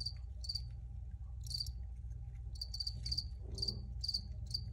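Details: Cricket chirping in quick repeated pulses, roughly two chirps per second, each a bright high trill burst, over a constant low background hum.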